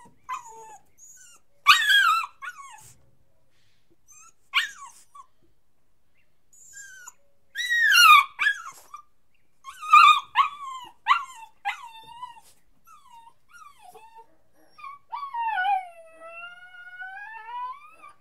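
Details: A puppy cries in repeated bursts of shrill, downward-sliding yelps separated by pauses, with softer whimpers between them, closing on a sustained, wavering whine; clean background.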